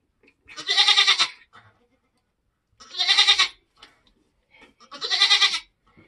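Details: Nigerian Dwarf goat giving birth on a homestead in kidding season: three long, hoarse, wavering bleats, each about a second long and spaced two seconds apart, with little else heard.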